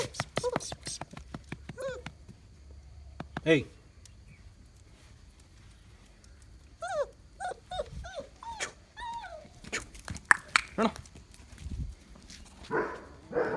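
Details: Excited whimpering while Mudhol Hound puppies, from a 11 January 2019 litter, meet their family and a Great Dane for the first time. Several short, arched whines cluster mid-clip between sharp knocks, with people speaking throughout.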